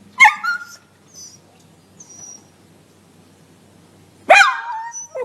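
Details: Dog sounds meant to scare cats: two sharp, high yelping barks about four seconds apart, each sliding down in pitch, with faint whines between.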